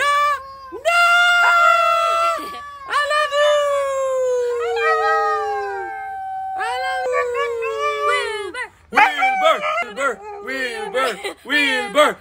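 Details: A "rapping" Siberian Husky, Wilbur, howls in long, sliding, mid-pitched tones, then breaks into choppy yowling 'talk'.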